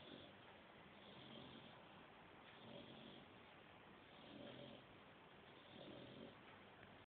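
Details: Chibi, an English bulldog, snoring: soft, breathy rasping snores rise and fall about every one and a half seconds over a steady background hiss.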